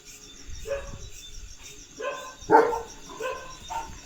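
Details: Leo the German Shepherd on his farmland lets out a few soft, short barks and one louder bark near the middle. A person talks quietly nearby.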